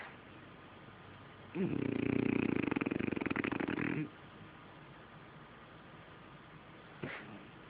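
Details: A French Bulldog, a noisy sleeper, gives one long, rattling snore while asleep, followed a few seconds later by a brief snort.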